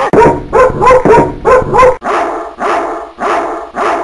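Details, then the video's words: Barking dogs from Coffs Harbour, New South Wales, Australia, presented as neighbourhood nuisance: a fast series of five loud barks, then a change to four slower, longer, hoarser barks from a different-sounding dog. "Australian National Dog Barking Choir"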